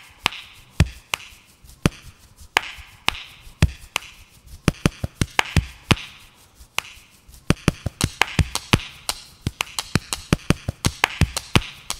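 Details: Sharp knocking and chopping taps repeat irregularly. No animal voice can be picked out among them.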